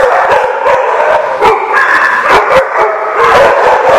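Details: Continuous din of many dogs at The Barking Lot on 28 August 2015: sharp barks punctuate a constant wash of higher yelps and drawn-out howling, all overlapping with no pause, in a reverberant space.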